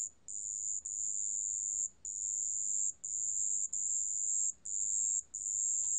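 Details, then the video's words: High, pure, ringing trill of a marsh bell cricket, from a 2020 National Institute of Biological Resources recording, running almost continuously in long stretches broken by brief gaps, with quiet low background noise. "습지방울벌레, 여러번 듣기, 곤충소리"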